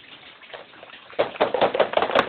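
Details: Shih Tzu on guard duty, jolted from deep sleep, jumps up to sound the alarm as other dogs come to back him; after a second of soft rustling, about six sharp, high yapping barks follow in quick succession.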